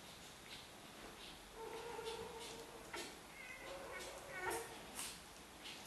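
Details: Xolo (Xoloitzcuintli) puppies from the first Xolo litter in Switzerland, in a small indoor room, giving thin, tonal whimpers in two drawn-out bouts, the second wavering and higher, amid soft rustling and snuffling.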